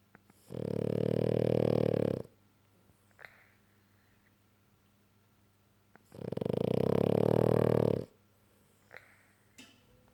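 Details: French Bulldog snoring loudly indoors: two long, rasping, low snores about two seconds each, separated by roughly four seconds of quiet breathing with small clicks.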